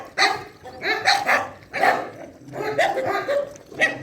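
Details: Dogs at a shelter during a night feeding bark in clustered, overlapping volleys, several sharp barks every half second or so, easing briefly before one last bark.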